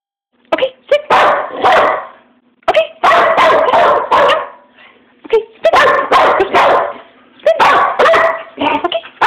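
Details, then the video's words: Dog barking loudly in rapid bursts of several sharp barks each, with short pauses between groups and a steady low hum beneath. "Bark Bark Bark"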